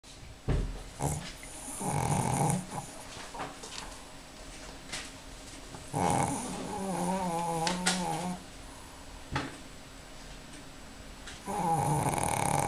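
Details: Four-year-old Pekingese Mrvica napping indoors on a Sunday afternoon, giving three long, rough, rasping snores with a growly low rumble and breathy hiss, separated by quieter breaths.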